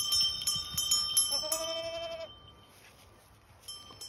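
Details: A goat gives a single drawn-out bleat amid the clanging of ringing goat bells.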